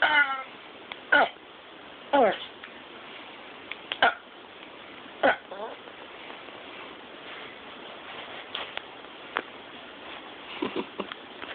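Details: Yorkshire terrier making an odd, funny sound: short, nasal, harmonic whines with downward-sliding pitch, coming roughly once a second at first, then sparser and fainter, over a steady background hiss.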